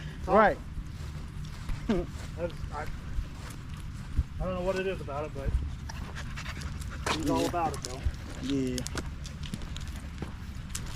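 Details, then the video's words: Male Staffordshire Bull Terriers at a park in the evening giving short sharp rising whines, then a longer quavering howl and a few brief yelping cries, with panting and a low background hum between them. "Long evening at the park male wolf pack chat"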